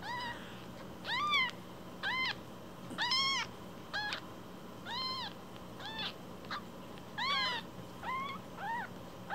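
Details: One-week-old kittens, newly taken in as foster rescues, with umbilical cords still attached, crying in thin, high, arched mews repeated every second or two, over a steady background hum.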